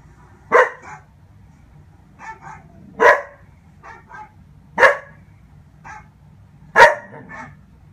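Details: A Dobermann puppy watches a Dobermann dog show and communicates with it in four loud sharp barks spaced about two seconds apart, each trailed by softer quick yaps, over a quiet low hum.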